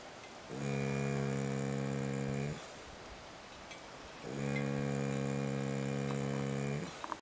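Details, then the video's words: Dog named Hackett snoring away while asleep at camp on a recent pack trip; two long, even, nasal droning snores, each roughly two seconds, with a near-silent pause between them. "Hackett snoring"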